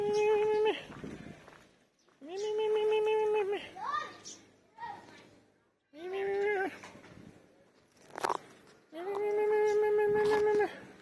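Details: Hungry male cat, said to be about three years old and the biggest and oldest in the village, gives three long, level meows of steady pitch, each about a second and a half, with a human voice calling and speaking between them.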